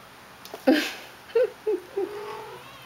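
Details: Shaded golden Persian kittens about five to six weeks old, from a litter named India, Intrepid, Ivanhoe and Idaho. A brief squeak is followed by three short, soft mews with small rising and falling pitch.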